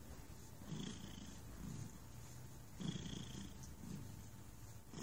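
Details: Thunder, a very relaxed cat, purring in low rumbling waves, each breath bringing a louder burst with a soft hiss, about two cycles across five seconds.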